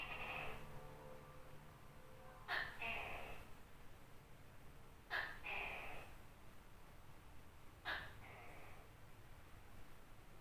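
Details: Tokay gecko, a large one, heard at night: the end of one croak, then three paired calls roughly every two and a half seconds, each a sharp explosive onset and a longer grating second syllable, over a steady low rumble.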